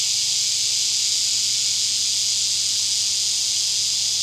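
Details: Steady shrill buzz from a male Neotibicen lyricen singing to attract a mate, filmed with a Canon SX1 camera in Winslow, Arkansas, mid-morning August 13, 2011. The buzz is constant and high-pitched, blending with a dense chorus of other cicadas.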